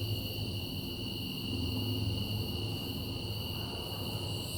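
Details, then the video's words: Under the night sky, cicadas produce an even, sustained shrill whine with stacked high tones and faint rhythmic pulsing, accompanied by a low-pitched hum. "Night Sky And Cicadas"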